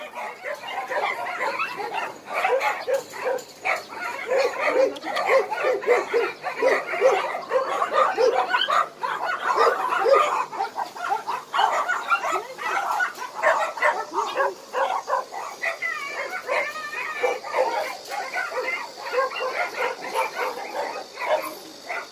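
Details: A continuous din of barking from abandoned dogs at Hanna's shelter, a rescue shelter for abandoned dogs in Daegu: rapid, overlapping yips and barks pile up without pause across the whole stretch, with some whimpering mixed in.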